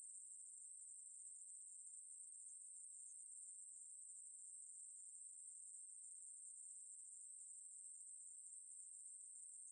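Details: A Ruspolia katydid (Korean 매부리) sings a continuous, high, hissing buzz without pause; 2020 recording from Korea's National Institute of Biological Resources.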